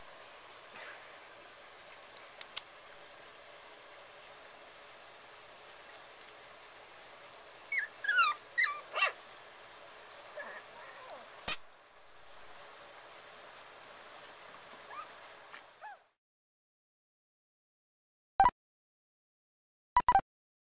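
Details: Playing puppies outdoors: a quick cluster of short, high, squeaky yips and whimpers, then a few more scattered yelps over a steady background hiss, ending in near silence broken by sharp knocks.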